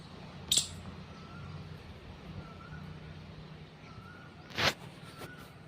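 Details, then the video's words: Squirrel giving two sharp, explosive chirps about four seconds apart against quiet background hiss, with faint soft whistled tones drifting between them and a low steady hum underneath. "squirrel chirping sound"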